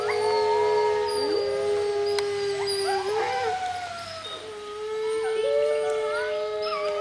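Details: Wolves of Monde Sauvage howl along with people. A low, sustained howl holds steady, breaks and dips briefly midway, then resumes, while higher overlapping voices waver above it.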